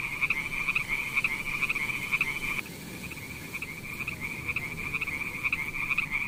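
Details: Frogs in a pond give a steady, high-pitched pulsing trill that runs on without a break.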